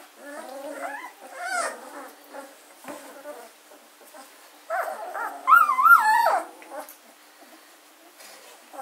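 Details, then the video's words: Litter of German Shorthaired Pointer puppies, 14 days old, recorded on 24 August 2016 at Katelands gundogs; scattered high whiny squeals and whimpers, with a louder wavering cry near the end and quiet gaps between. "german shorthaired puppies, aged 14 days old"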